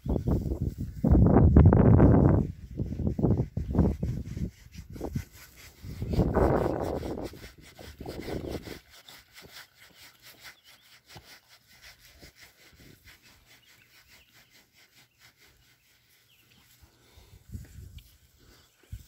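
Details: Berkshire pigs in a new paddock grunt in deep, rasping bursts during the first nine seconds, the strongest near the start. Only faint scattered grunts and quiet background follow, with one brief soft burst late on.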